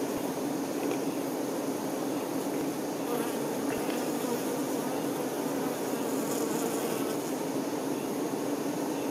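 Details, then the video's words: Many honey bee workers caring for a queen produce a continuous colony hum, a full low droning buzz steady in volume, with a few faint clicks and brief brighter hisses mixed in. "Nature ASMR-honey bee"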